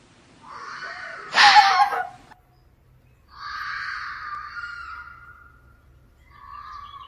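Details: Fox during the mating season: one loud, raw, rasping bark-scream, then a longer wavering, hoarse moaning call after a pause and a shorter quieter one at the end.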